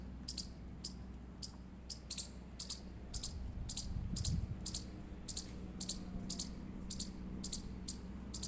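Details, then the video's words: Indian squirrel chirping: sharp, very high clicked chips repeated about every half second, roughly seventeen in a row, some doubled, over a low steady hum. "Indian Squirrel Chirping Sound Effect"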